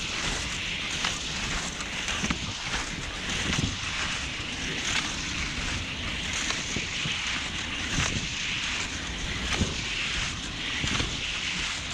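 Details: Steady roar of wind buffeting the microphone with broadband rushing noise and no animal voice.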